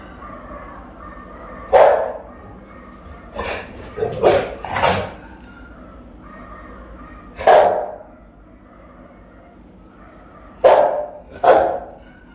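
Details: Rottweiler guarding the house alone while its owner is away, filmed by a phone left recording as a monitoring camera: loud, deep single barks, some in quick pairs, spaced irregularly over twelve seconds against a quiet indoor background.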